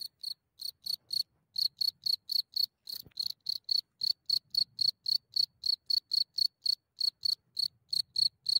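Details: Cricket close up at night in Germany, only a few centimeters away as it comes out of its hole: rapid loud chirps repeated nearly four times a second, each a short shrill pulse, soft low rustles in the background.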